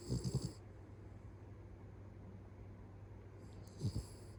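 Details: A sleeping pet Beagle snoring at home: a short burst of low, rasping snorts at the start, then near-silence with a steady low hum, and a second brief snore near the end.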